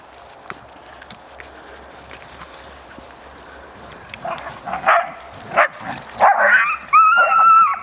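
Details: Young dog yelping while playing with two other dogs, reacting as Cash puts it in its place; scuffling and growly bursts build into a rising series of loud, shrill, tonal yelps at the end.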